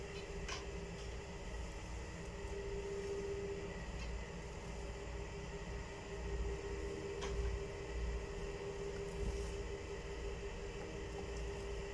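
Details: A steady low mechanical hum with faint clicks and no animal calls.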